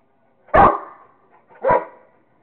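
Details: Rottweiler named Kingston barking while playing with a squirrel: two short, forceful barks about a second apart, the second slightly softer, with a quiet gap between.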